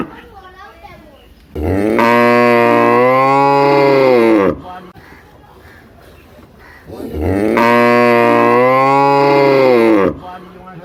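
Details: Village cow, described as big, letting out two long droning moos of about three seconds each, separated by a quiet gap with faint background noise.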